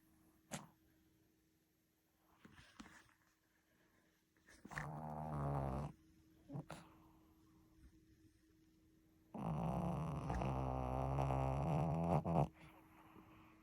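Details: Shih Tzu dog snoring in a long stretch indoors: low, rough, drawn-out snores lasting one to three seconds, separated by quiet gaps, with a faint steady hum.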